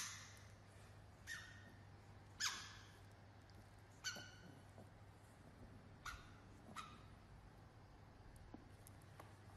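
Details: Micro poodle puppies giving short, sharp, high yips that drop quickly in pitch, about six spaced irregularly over ten seconds, the second loudest, over a steady low hum.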